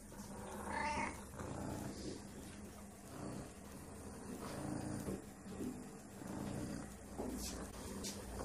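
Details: Hungry stray female kitten asking for food, giving a short rising meow about one second in, followed by soft low murmuring and rustling, with a faint steady hum underneath.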